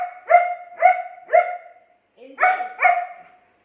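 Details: German Shepherd dog arguing with its owner, giving three evenly spaced, tonal, yelping barks, a short pause, then two more barks, in a quiet room.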